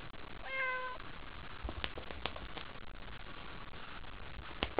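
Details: Haiko, a pet cat, calls out at night, excited by a toy: one short, clear, flat meow near the start, then sharp clicks and taps from play against a faint indoor hum.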